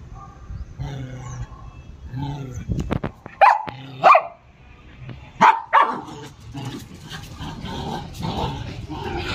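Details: Playful pet dog during playtime, letting out a few loud barks spaced about a second apart, with a low growl and scuffling noises between them and some voices in the background.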